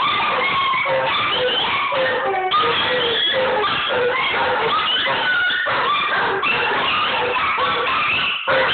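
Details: Scottish Deerhound howling alongside other dogs in Ballymoney, captured on an Android phone; overlapping, wavering tonal howls form a dense, continuous chorus with sliding pitches throughout.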